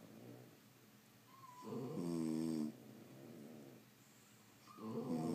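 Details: French Bulldogs sleeping indoors; a brief nasal whistle precedes a loud, buzzy snore lasting about a second, then a quiet pause before another rough snore begins at the end.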